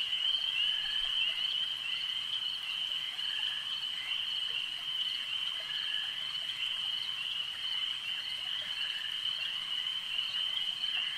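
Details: Frogs at a lake keep up an even, continuous high trilling chorus, countless rapid pulses merging into one sustained ringing tone at nearly constant volume.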